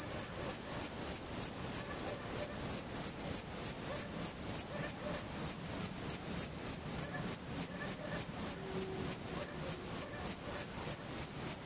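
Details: A male Thyreonotus corsicus bush-cricket, recorded in early August in an orange grove at Vilella, Sueca, stridulates by rubbing its reduced wings together, giving a steady, high, buzzy chirp repeated several times a second.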